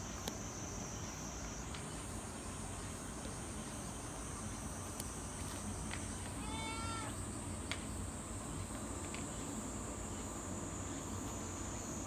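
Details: Cat outside a guesthouse on Sanagi Island, a cat island in Kagawa, Japan, gives a single short meow midway, a clear harmonic cry under a second long, over a steady high insect drone and soft background hiss.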